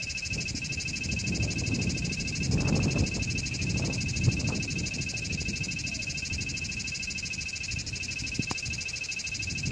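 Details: Cicada (chicharra) singing: a steady, unbroken high-pitched buzzing drone with ringing overtones that holds at an even level throughout, over a low rumbling background of wind or handling noise.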